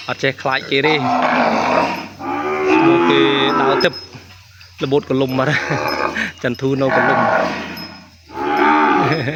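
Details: Calf separated from its mother and crying for her in a pen: several hoarse, harmonic bawls of one to two seconds, broken by short gaps, with people talking nearby.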